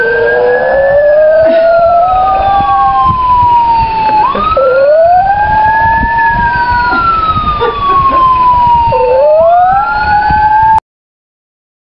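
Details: Loud police siren wailing in long rising and falling sweeps, cut off abruptly before the end, with no animal voice.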